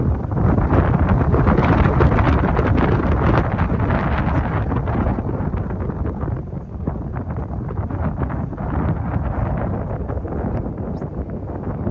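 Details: Heavy wind buffeting a microphone outdoors roars throughout, with no animal voice standing out.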